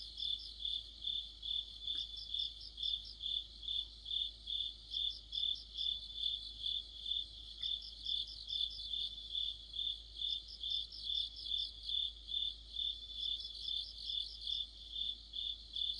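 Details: Crickets and other insects singing together in autumn, a continuous high-pitched ringing trill beneath bursts of rapid pulsed chirps that swell and fade in regular waves, about twice every second.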